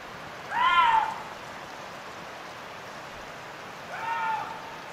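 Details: Young male Eurasian lynx calling in the mating season: two drawn-out, harmonic, meow-like wails, the first loud and arching, the second softer and shorter, separated by about three seconds of quiet background hiss.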